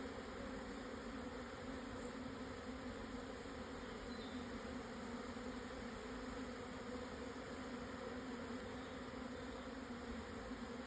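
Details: Japanese honey bees swarming on 17 June 2024 near noon in the Yatsugatake southern foothills, Yamanashi, as they move into a new hive box; an unbroken steady drone of many wings, level and even throughout.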